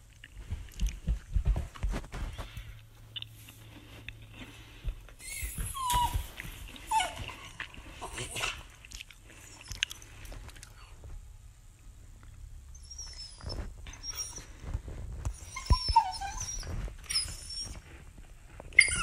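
An Italian Greyhound gives high, thin whines and squeaky yelps that bend up and down in pitch.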